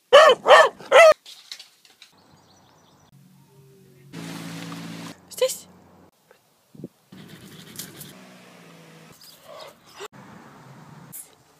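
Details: Tess, a female pet Beagle, filmed over six months one second a day: three quick, loud, tonal barks in the first second, then a hum, low indoor noises, a brief hiss and scattered clatter.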